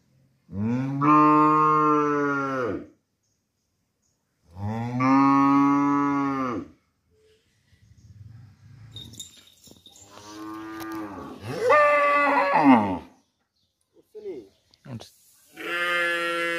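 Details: In a village, a domestic cow, apparently an adult calling for its calf, gives several long, deep moos of about two seconds each, with rich harmonics.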